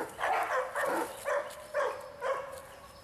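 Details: Large barking dogs met on a walkabout, with five loud, even barks repeated roughly every half second, each with a clear tonal core.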